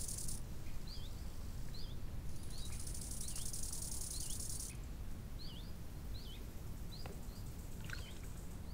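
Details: High, continuous insect trilling from crickets at a lake in summer, starting and stopping in blocks. Birds add quick, repeated whistled chirps, and a heavy low wind noise runs underneath.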